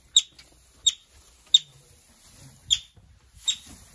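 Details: Yellow-bellied marmot arriving at North Island Wildlife Recovery Centre, a Pacific Northwest rehabilitation facility. It gives five sharp, high, piercing chirp-whistles at uneven intervals, each very short and clipped, with quiet room background between them.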